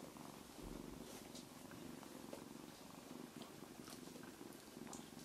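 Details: Abyssinian cat at a family breeding cattery in Grasse, purring steadily: a low, continuous pulsing rumble throughout, with faint soft clicks and rustles above it.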